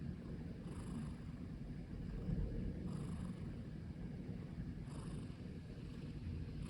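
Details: Continuous low, grainy purring from Okoge, a black long-legged Munchkin sprawled on a keyboard, with faint airy breath sounds returning roughly every two seconds over the rumble.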